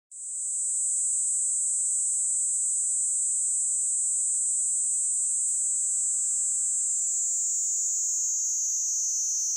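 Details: Platypleura kaempferi cicada singing a continuous, steady high-pitched buzzing drone that starts abruptly and holds unbroken, with a slight shift in pitch near the end.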